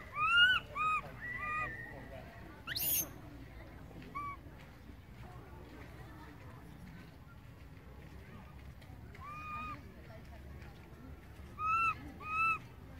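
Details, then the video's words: A baby monkey cries loudly for its mother, who has gone far away, in short bursts of whining, arched calls at the start and end, with a brief high squeal in between and a long quiet stretch of background noise. "baby monkey calling mom"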